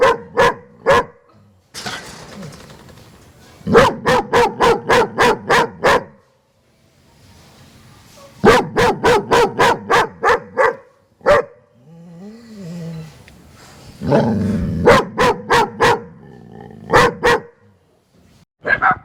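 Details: German Shepherd barking hard in repeated bursts of about six to eight rapid, punchy barks, with a brief whining tone between bursts.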